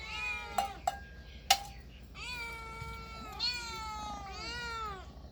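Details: Cats and kittens meowing: a high meow with a few sharp clicks and knocks, then three clear, drawn-out meows in close succession, each gliding slightly downward, over a faint hum.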